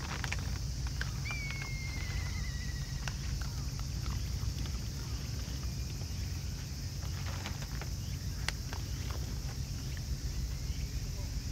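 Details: Crunching from a raccoon dog family eating together comes as irregular snapping clicks over low rumbling background noise. A thin falling whistle from another animal sounds briefly near the start.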